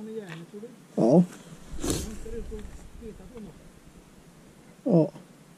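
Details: Treeing walker coonhound during a mink hunt, giving two short, loud harmonic barks about four seconds apart, the first near the start of the second second and the second near the end, with a voice speaking quietly between them.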